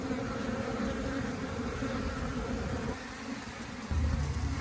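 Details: Busy honey bees gathering nectar and pollen around flowers outside the hive; a low, continuous wingbeat hum that thins out partway through, followed near the end by a steadier, deeper droning tone.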